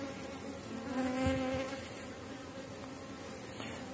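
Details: Honey bees buzzing over uncapped brood in an August hive; a close bee passes with a clear tonal hum that swells in the first seconds, over the steady drone of the colony.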